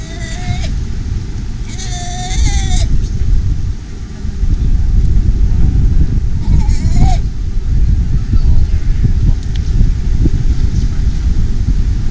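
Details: Galapagos sea lion pups waiting in tide pools and on the beach give wavering, bleat-like cries over a steady rumble, calling for their mothers to return from hunting at sea with milk.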